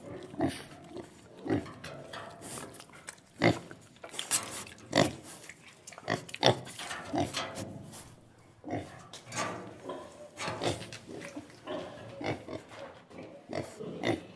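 A pig grunts and snorts in irregular bursts, with short harsh oinks.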